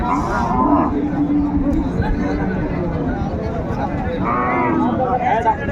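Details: A sustained moo from market cattle, cows with their calves at Raniganj market in Dinajpur, March 6, 2025. The held low call sits among nearby chatter and a noisy outdoor crowd.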